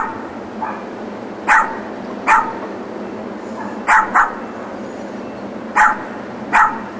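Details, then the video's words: Barking from next door's dogs, left alone in the back yard through the working day in 2006; seven short, sharp barks, some in quick doubles, at irregular gaps of about a second against a constant low hum. "Barking Dogs"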